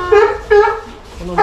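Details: South American fur seal pup about one month old, born 16 June 2023 at Ise Sea Paradise aquarium in Japan, giving three loud harmonic bleating cries, each under half a second, with a brief voice between them.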